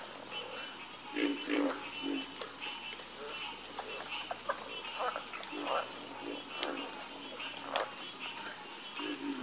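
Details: Nocturnal frog chorus: rapid, repeated croaks and rattling pulses overlap from several callers, backed by a steady shrill insect hum.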